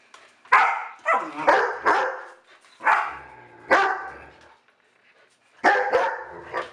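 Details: Dog barking loudly indoors: sharp, harsh barks in quick pairs and triples, a pause, then another burst near the end, with brief gaps of near silence between volleys.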